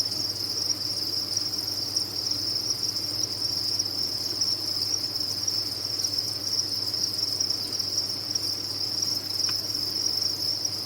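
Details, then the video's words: Farmed crickets massed together produce an unbroken high, ringing trill of overlapping chirps, even in loudness throughout, over a soft low background hum. "Sound of a Cricket Farm"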